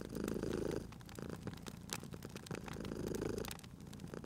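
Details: Cat purring near a crackling fireplace; two strong rumbling purr swells, one at the start and one near the end, separated by a quieter stretch filled with sharp fire crackles.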